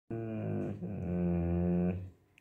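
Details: A female Bernese Mountain Dog puppy lets out a low, steady, bear-like growl that swells slightly and lasts about two seconds, begging after being refused some chicken.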